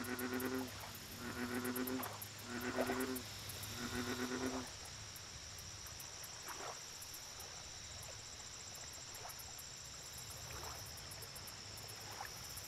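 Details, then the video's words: American bullfrog at a lake, a series of four deep, pulsed, droning croaks about a second apart, then quieter scattered chirps, with a steady high insect buzz and faint ticking throughout. "Bullfrog Lake Audio Only - Nature Sounds"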